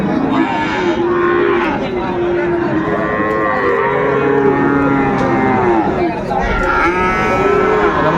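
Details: Bull calves of Friesian and cross breeds at the Raniganj cattle market, Dinajpur, on 28 November 2024. Repeated, overlapping, drawn-out moos from several animals bend up and down in pitch, against steady market noise.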